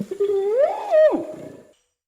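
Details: Orangutan giving a single tonal wail that climbs slowly, peaks and then drops sharply before fading out.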